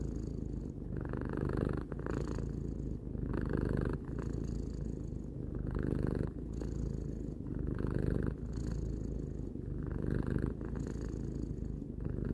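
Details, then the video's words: Steady low purring from Tarou, a pet cat aged three, the rumble swelling and easing with each breath roughly every two seconds, no other sounds. "Cat purring"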